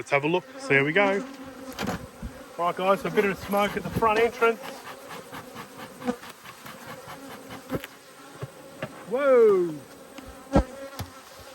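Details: Honey bees from two hives, cross at being inspected in March 2022, buzz close past the microphone in loud, wavering passes that rise and fall in pitch, over a steady low hive hum, with occasional clicks and knocks.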